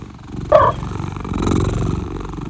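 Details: A Maine Coon cat answers its name with a brief, rolling, chirrup-like trill, a friendly contact call the owner says he learned and matches to her voice.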